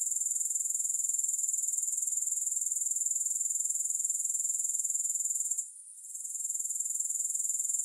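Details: Grasshoppers producing a bright, sizzling, high buzz that throbs about four times each second, with a short gap near the end before the steady pulsing resumes; no music.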